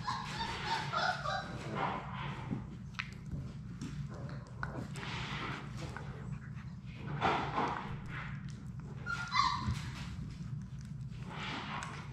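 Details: Labrador Retriever puppies, a litter of six, playing in an indoor play room: brief whiny yips and whimpers at the start and again near the end, amid thumps, scuffles and low background hum.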